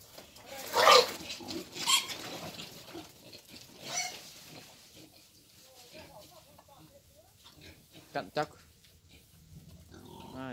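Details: Wild boar being taken for mating, giving loud harsh broadband grunts around the first, second and fourth seconds, then quieter scattered noises and a short whining tone at the end, with people talking nearby.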